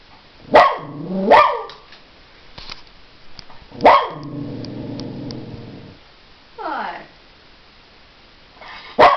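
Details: Angry dog, tested by being outsmarted, gives loud sharp barks, two close together, then a single bark and a long low whining growl, a short falling whine, and a final bark at the end.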